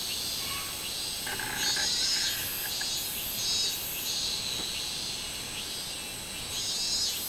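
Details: Summer song of the minmin cicada, recorded 24 July 2016: a shrill, steady buzz overlaid by throbbing high pulses that rise and fall in slow waves, with a faint lower chirp near the start.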